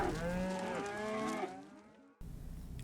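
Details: A single cow's drawn-out moo, rich in harmonics, sliding lower as it fades after roughly two seconds, then a brief low background hum.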